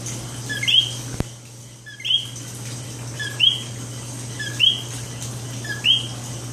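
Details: Night chorus of coqui in San Juan, Puerto Rico: a single clear two-note chirp, a short low note then a high rising whistle, repeated about every 1.3 seconds, five times, over a faint background chorus and steady low hum.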